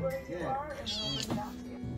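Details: A male dwarf cat that lives at a vet clinic gives a brief meow that rises and then falls, partly covered by a speaking voice and soft background music.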